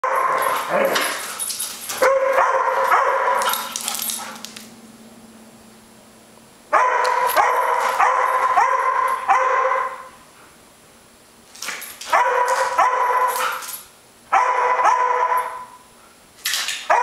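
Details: Two Airedale Terriers, one dog picking on the other: bursts of harsh, tonal yapping and growly barks lasting two to four seconds, separated by quiet pauses, with a low steady hum in one gap.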